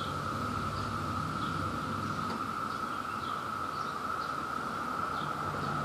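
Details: Brood II periodical cicadas in New Jersey during peak mating season, chorusing in the background as they search for mates; a steady droning buzz holds without a break, with faint intermittent chirps higher up.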